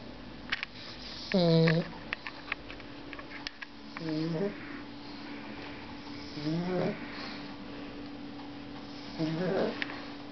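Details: Snoring pet dog gives four nasal, droning snores, roughly every two and a half to three seconds. The first is loudest, the later ones softer and wavering. Light ticks and a steady hum sit underneath.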